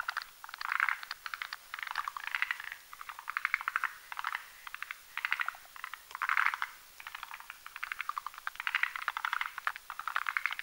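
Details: Forest green tree frogs (Zhangixalus arboreus) croak at night, in rapid rattling bursts of clucking clicks about every second, while males and females whip up a foam nest on a branch over a marshy mountain pond.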